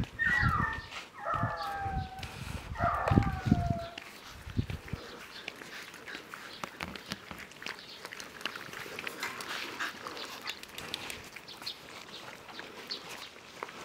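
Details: Rough Collie puppies giving several high, descending whines and yelps bunched in the first four seconds, each sliding downward with clear overtones, followed by quieter rustling and faint background noise.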